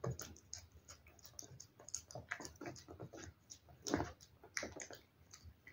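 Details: Cat eating wet food: wet smacking and licking clicks in uneven bursts, with several louder lip smacks near the four- and five-second marks over a quiet background.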